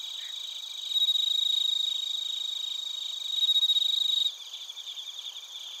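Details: Crickets at Narita in Chiba, Japan, captured on a TASCAM Portacapture X8; a loud close trill rings from about one second to four, pulsing fast and high, then drops to softer scattered chirps against a steady high hum of other insects.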